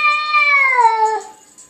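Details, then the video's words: Perseus, a newly adopted SPCA cat, talks to himself in the mirror with a loud, bright moan that glides steadily downward in pitch and fades out after about a second. "Perseus the cat talks to himself in the mirror"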